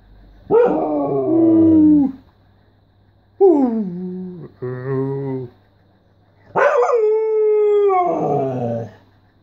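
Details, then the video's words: Pet Siberian Husky 'talking', giving a loud drawn-out howl that falls in pitch, then a short wavering howl and a quick yodel, ending with a long strong steady howl that slides down; quiet gaps between. "Talking with my husky"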